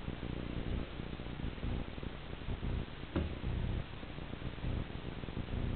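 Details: House cat after a laser dot, giving a deep, rough purr in regular surges about a second apart, with a single sharp click partway through.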